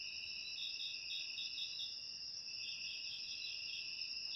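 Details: Crickets, recorded as ASMR meant to drive rats from the house, sing with steady high shrill trills overlapping. Bursts of quick pulsed chirps rise above the trill in short runs.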